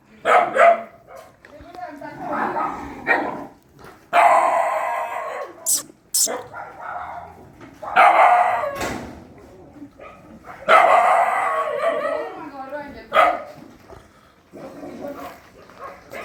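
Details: Puppies fighting during night feeding at a dog shelter: repeated yapping bursts and high yelps spread over the whole stretch, mixed with a person calling out and general commotion.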